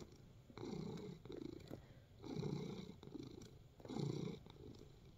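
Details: Relaxed domestic cat purring while kneading, indoors; three long rumbling purr bursts rise and fade with each breath, separated by brief quieter gaps, roughly one cycle every two seconds.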